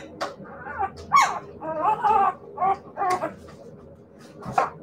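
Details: Siberian Husky puppies giving a series of about six short, tonal whines and yelps in uneven bursts, some bright and squeaky, with quiet gaps between them.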